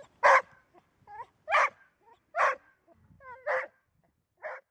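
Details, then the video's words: Golden Retriever barking in a steady series: five coarse, punchy barks under a second apart, separated by soft, short whimpering tones. ""Bellen", Golden Retriever"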